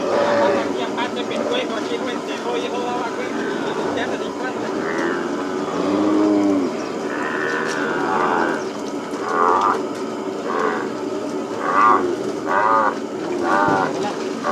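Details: Cattle on a plains ranch during calf branding work, many animals lowing at once: overlapping deep, drawn-out moos with rising and falling pitch, several louder bawls clustered after eight seconds, with constant herd noise throughout.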